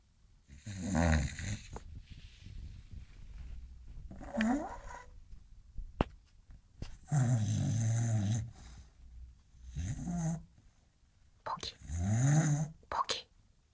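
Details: An English Bulldog snores in deep, rattling breaths, each lasting about a second, while sleeping and dreaming.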